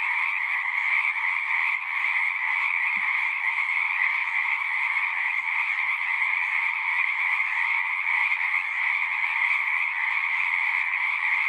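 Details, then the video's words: Unbroken frog chorus, countless callers trilling at once in a smooth, steady drone with a bright upper band and a softer lower band, level and unchanging throughout, one faint low knock early on. "One hour of singing frogs."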